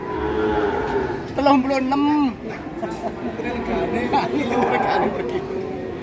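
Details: Big Pegon cattle: a moo bends upward and then falls away midway through. Loud music and human voices share the scene.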